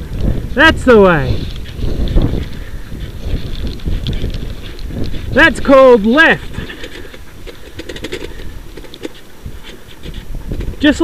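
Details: Sled dogs in a six-dog heat at the Wild Dog Derby in South Australia, 2012, give wavering, high whining howls in two short bursts near the start and middle, with scuffling and rumbling race noise throughout.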